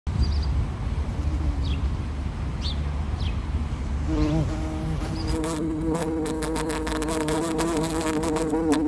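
A bumblebee's low, steady buzz, deepening into a rich droning hum that wavers slightly in pitch.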